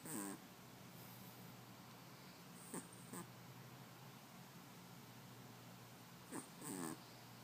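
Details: Gigi, a very small Chihuahua puppy, snoring in her sleep: two soft, wheezy nasal snores with faint whistly overtones, about six and a half seconds apart, over a steady low hum and quiet background hiss.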